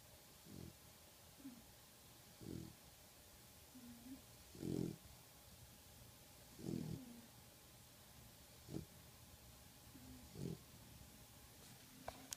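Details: Sleeping pitbull mix puppy, worn out after a very hard day: low, throaty snores come roughly every two seconds, interspersed with faint whistling breaths over a quiet background hum.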